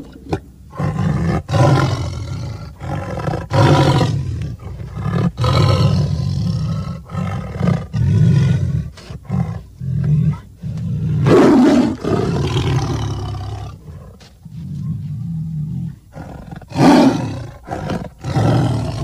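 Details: Tiger producing repeated deep, gravelly roars and growls in uneven bursts, with short silent gaps between them throughout.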